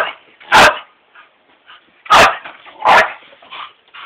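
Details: Mini Pit dog described as ferocious, giving three loud, harsh barks with softer grumbling sounds in between.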